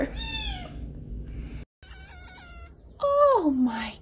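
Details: Kittens meowing: a high, drawn-out mew, then a thinner, wavering cry, then a louder meow that slides steeply downward, all in a quiet room.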